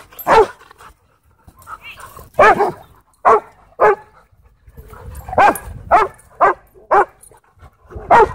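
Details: Husky at a dog park taking on challenging dogs in play; irregular loud barks and yips scattered among quieter whines and grumbles, with pauses between bursts.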